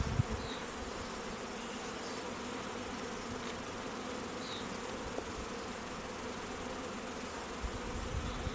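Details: Apiary honey bees around queen cells on day 11 of queen rearing: an even, continuous droning hum that holds steady throughout, with a few soft high chirps in the background.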